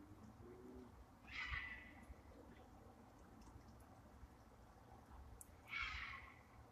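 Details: A distant fox gives two harsh, raspy screams about four seconds apart at night; its reason for calling is unknown, perhaps seeking a mate.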